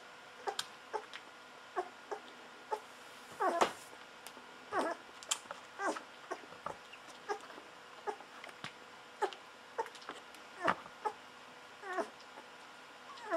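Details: Hungry Golden Retriever puppies fourteen days old feeding on bottled milk, giving frequent thin squeals and whimpers, some sliding down in pitch, scattered unevenly through the stretch amid soft sucking and rustling sounds.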